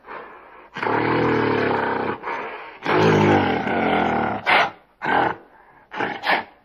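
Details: Two long, rough roars from a gorilla, deep and sustained, followed by three short, sharp barking bursts.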